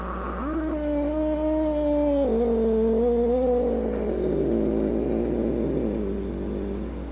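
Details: Angry cat giving a low, drawn-out moaning growl that holds steady, then steps down in pitch partway through and breaks into a rougher, wavering snarl toward the end, with a constant low hum underneath.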